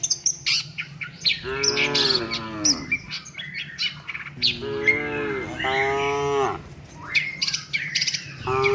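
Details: Tame cattle moving with the herd to their shed. Two long, wavering moos, each lasting over a second, stand out from dense, sharp bird chirps.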